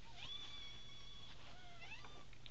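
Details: American Bobtail kittens from a three-week-old litter of five: a thin high held mew early on, then softer rising and falling mews near the end over a low steady hum.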